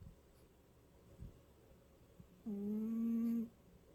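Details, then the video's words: Cute cat snoring: after a hushed stretch with a faint tap, one level, humming snore lasting about a second sounds near the end. "귀여운 고양이 코골이"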